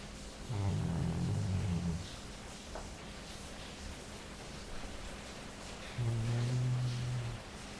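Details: Sleeping Labrador Jully snores twice: a rough, low rumbling breath, then a quiet pause of about four seconds, then a smoother, steadier droning snore.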